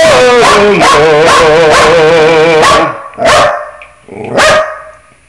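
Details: Pet dog howling along to musical scales: a long, wavering tonal howl with steady vibrato for nearly three seconds, then two short, sharp bursts after a pause.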